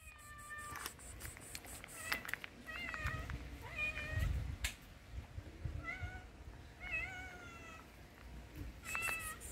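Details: Tuxedo stray cat living on the street meows insistently, asking for food: a series of loud, nasal, level-then-bending meows roughly every second or two, with outdoor rustling, low traffic rumble and clicking footsteps between calls.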